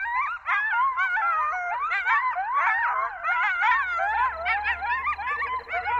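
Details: Coyote chorus in Zion National Park: many wavering, warbling howls and sharp yips overlap continuously, with pitch swooping up and down and a faint low pulsing sound in the background.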